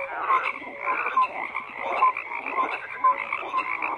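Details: Many frogs croak together, with a rhythmic surge roughly every half second and clear short whistle-like notes standing out over the continuous chorus.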